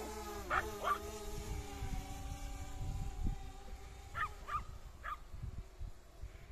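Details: Small Yorkshire Terrier barking while chasing a drone outdoors on a late August evening near sunset: a pair of sharp barks near the start, then three more spaced barks later, over a steady droning hum and wind rumble.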